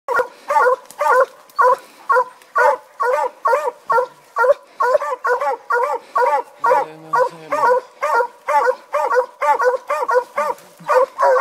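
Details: Sam, a Treeing Walker Coonhound, gives a steady run of chopped, ringing barks, about two every second, while treeing ringtails in eastern Kentucky.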